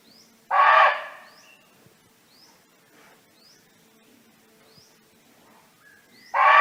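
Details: Barking deer roaming free in nature and calling to friends gives two sharp, harsh barks about six seconds apart, while small birds repeat quick rising high chirps in between.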